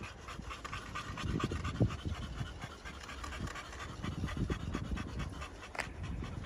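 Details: Pocket American Bully males at a kennel in Romania, panting in quick, rapid breaths about four per second, with soft breathy bursts and some low thumping in the background.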